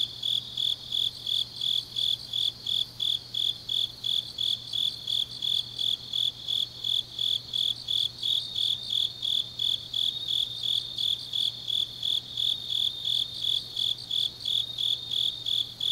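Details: Autumn night chorus of grass insects from Changnyeong, Korea: a high-pitched, evenly repeated chirping, close to three pulses each second, layered over a continuous shrill trill, with a soft low electrical-like hum.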